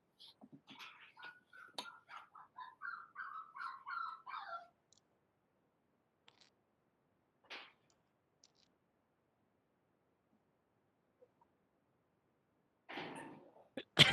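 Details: Teacher's dog heard in the background of an online class, giving a quick run of short, thin whimpering notes for about four seconds, then near silence with scattered clicks and a brief burst of noise at the end.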